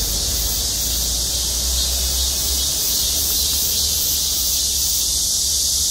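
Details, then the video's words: Massed cicadas sing from trees over a parking lot at Gwangmyeong City Hall, South Korea, giving a constant high, sizzling drone with a low hum beneath during the first half. "맴맴맴 매미소리. 매미들의 합창"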